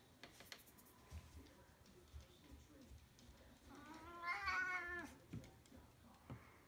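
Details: Siamese cat named Otis, a couple of years old, talking while playing fetch indoors: one drawn-out harmonic meow near the end, with a man's voice calling him to bring the toy back and soft thumps.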